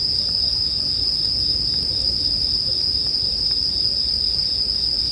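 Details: Bell crickets keep up an even, piercing high ring without pauses, layered over a low murmur and light crackling from a campfire.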